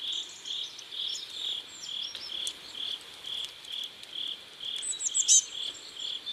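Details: Crickets chirp at sunset along a river in South Korea, a shrill steady pulse about twice a second, with thin bird twitters scattered above and a brief louder chirp toward the end.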